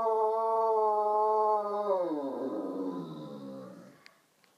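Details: Great Dane vocalizing on a Sunday morning: a sustained, even howl that slides downward after about two seconds into a grumbling, fading moan. Two faint clicks follow near the end.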